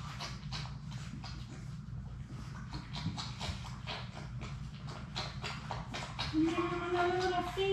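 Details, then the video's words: Labrador Retriever puppies, six of Sadie's litter, at play in an indoor puppy play room; a thin, high whine with a few drawn-out rising notes near the end over steady scratching, tapping and paw noise. "Labrador puppies at play!"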